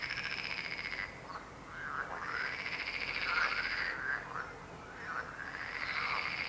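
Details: Croaking frogs in a dense chorus, fast pulsed trills of about three per second alternating with brief pauses, plus harsh curving croaks overlapping from several callers.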